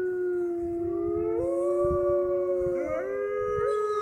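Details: Captive wolves in the Canadian Pavilion of the Toronto Zoo baying near closing time: several overlapping drawn-out howls, one gently rising and bending while another stays low and level, faint background noise.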